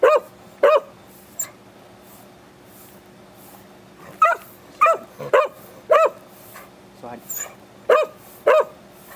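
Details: Excited Beagle at home while being asked to sit, shake paws and wait: sharp, ringing barks and yips in short bursts, some doubled, scattered irregularly over nine seconds with quiet gaps between them.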